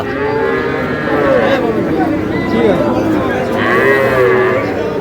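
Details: A pair of young Sahiwal bulls at a cattle market in Bangladesh; three or four bending, nasal moos come about every second or so, set against bargaining men's voices and general market noise.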